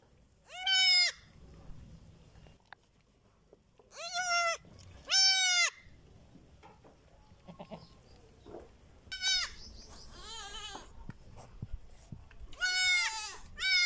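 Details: Baby goats on a farm bleat loudly and nasally, each bleat lasting about half a second and arriving in irregular bursts of one or two, with quiet pauses between and faint rustling in the background.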